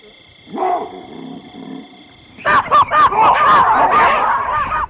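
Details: Baboons in the African bushveld: a few soft arched calls, then a sudden burst of loud, harsh, overlapping barks and screams from several animals, over a steady high insect drone.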